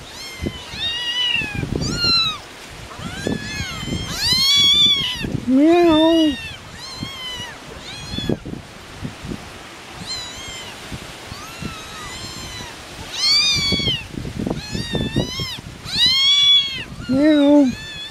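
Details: Three of four hungry farm kittens with their mother cat, outdoors on a windy day: rapid, high, arched mews overlapping in quick bursts, with a few lower drawn-out meows, a person talking between calls, and low wind rumble.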